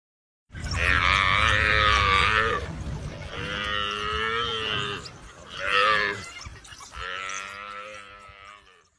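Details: Baby buffalo calf under attack by wild dogs, giving four loud drawn-out bawling cries, harsh and harmonic, each one to two seconds long, with short breaks between.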